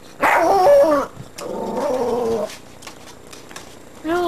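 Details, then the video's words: Female pet dog Terry, agitated at a tree, gives a loud drawn-out tonal yelp followed by lower wavering vocalizing mixed with a person talking, then a final rising yelp at the end. "My dog barking at nothing"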